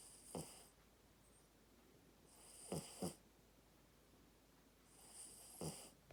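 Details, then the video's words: A sleeping puppy snoring indoors: three breathy snores, roughly two and a half seconds apart, the middle one doubled. Each is a rough, low rasp topped with airy hiss. Near silence fills the gaps. "Snoring puppy!"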